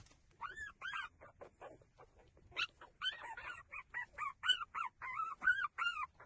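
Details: Puppies, likely street dogs, whimper while breastfeeding: high, arched, squealing whines repeated about once a second, growing busier and overlapping toward the end, with soft rustling beneath.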